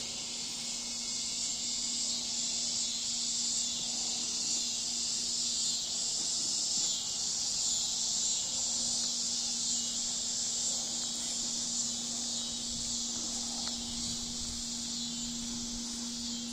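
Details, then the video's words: Backyard insect chorus of cicadas on a cool evening, 16 August, Bolivar, Missouri; a loud continuous buzzing drone held high and level throughout, swelling slightly midway, over a faint steady low hum. "Listen to the cicadas singing, okay, in our backyard. Just so pretty."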